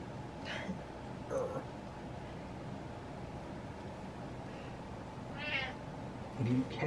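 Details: Butters, a male pet cat, meowing to get what he wants indoors: two drawn-out, harmonic meows a few seconds apart, with a person's soft talk and low room hum underneath.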